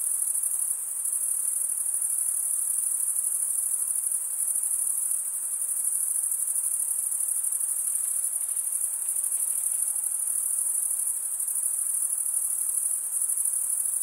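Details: Chirping crickets: males stridulate by scraping the top of one wing along the serrated vein of the other. An endless, thin, very high trill runs evenly from start to end without pauses or other noises.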